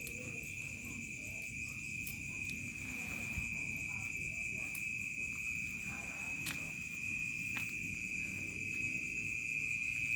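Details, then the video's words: Crickets in a remote village at dusk turning to night. A steady, high, continuous trill holds one pitch throughout, with fainter higher bands above. A few sharp clicks and a low rumbling background sit beneath it. "SUARA JANGKRIK SENJA MENJELANG MALAM"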